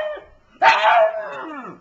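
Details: Funny talking pug: a sudden loud, rough yowl that breaks into a bark-like burst, then slides downward and fades within about a second.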